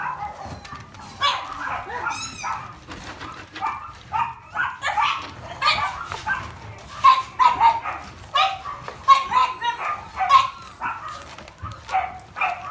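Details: Beagle puppy siblings play-fighting, giving rapid high-pitched yips and short barks in irregular bursts, some whimpering, with several brief loud yelps toward the end.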